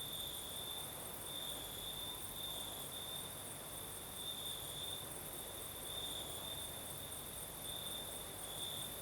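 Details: Crickets singing at night in southern Crimea with a night breeze: a steady high trill that swells and fades in soft pulses, with a fainter, even higher hiss above it and a broad rushing wind noise underneath.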